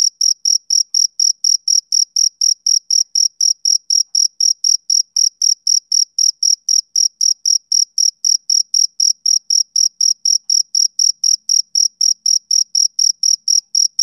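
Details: Male cricket chirping through a summer evening: a continuous train of sharp, high, evenly timed pulses, about four each second, clear against a silent background.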